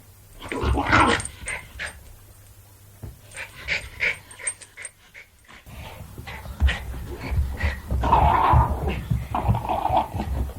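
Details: Jack Russell Terrier playing, recorded with a handheld recorder; scattered snorts, huffs and short grumbling growls in irregular bursts, with quieter gaps and some handling noise.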